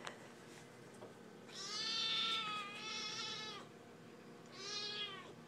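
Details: Hungry, impatient Siamese kitten meowing loudly, raptor-like, for her dinner while it is being prepared: one long, strained, wavering meow of about two seconds, then a shorter one after a pause.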